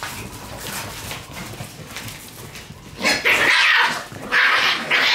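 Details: Shiba Inu puppies fighting hard over a toy: after a few seconds of low shuffling, loud, shrill squealing cries break out in long bursts.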